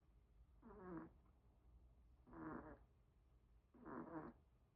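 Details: Sleeping Pomeranian dog snoring, said to fall asleep first: three soft, rasping breaths about every one and a half seconds, each lasting under half a second, over a quiet low hum.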